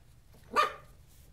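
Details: Miniature poodles on a playful day out; a single short, sharp bark rises out of quiet background hum and fades within a fraction of a second.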